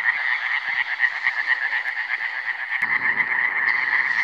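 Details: Chorus of Iberian tree frogs (Hyla molleri), recorded in 2017: overlapping rapid, grating pulse trains on one steady pitch, running without pause, with a low rumble entering in the second half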